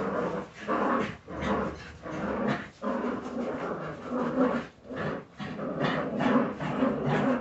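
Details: Several Jagdterrier puppies growling and yapping together in a small room, bursts of rough, noisy sound rising and falling every second or so.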